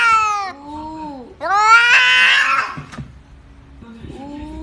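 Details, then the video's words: Domestic cat making unusual sounds indoors in a small room: several drawn-out, harmonic meows that bend downward, separated by short pauses, with a brief click near the middle. "cat making unusual sounds"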